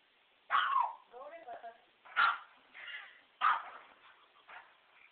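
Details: A dog attacking a remote control truck gives three sharp, loud barks about a second apart, each followed by softer voiced sounds, while a person's voice murmurs in between.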